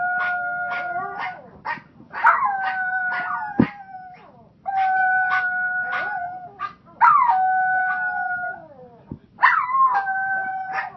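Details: Several Pomeranians howling together in long sustained wavering tones with clear harmonics, in bursts of a few seconds separated by short gaps, with sharp yips breaking in between.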